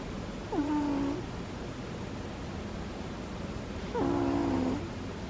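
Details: Dog snoring softly in its sleep, each breath giving a short squeaky whistle that drops sharply then holds a steady tone, two snores about three seconds apart over quiet background hiss.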